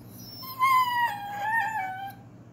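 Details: German Shorthaired Pointer trying to talk his way out of trouble gives a drawn-out, wavering whine that slides gently downward.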